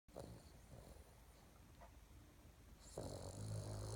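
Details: A sleeping female Boston Terrier snoring loudly indoors; low rough snorting breaths, with a louder harsh snore burst near the end.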